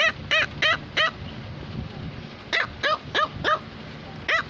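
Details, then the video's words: A Cavalier King Charles Spaniel, a female pet, barks insistently at her owner. There are two runs of four quick, high-pitched yaps, then a single yap at the end. "Cavalier King Charles Spaniel is barking"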